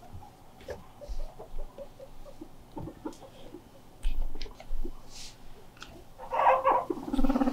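A guinea pig gives a short burst of squeaky calls after soft rustling and tapping, protesting being left alone.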